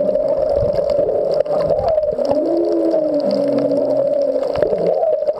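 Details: Humpback whale song recorded underwater at the Back Wall of Molokini off Maui, whales unseen nearby: low moaning tonal units gliding and wavering, with a higher upward sweep, over a steady droning hum and scattered clicks and crackles.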